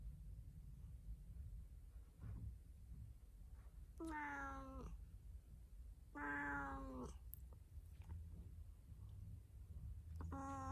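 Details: Talking domestic cat on the attack: three harmonic meows about two seconds apart, each near a second long, the second louder and wavering, the last cut short, over a constant low room hum.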